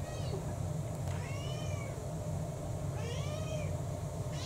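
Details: House cat from a household of six or more cats, heard around mealtime: two rising-then-falling harmonic meows about two seconds apart, then the start of a third, over a steady low hum.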